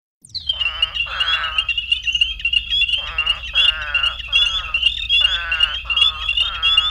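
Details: Eastern spadefoot (Scaphiopus holbrookii) advertisement call from southern Illinois, breeding March–September after heavy rains: short, explosive nasal grunts in quick succession over a steady high chorus, attracting other spadefoots from at least half a mile.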